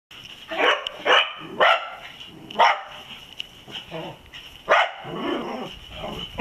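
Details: Dachshunds barking after finding a possum raiding olives; sharp barks come in bursts roughly every half second to a second, with a steady high hum running underneath.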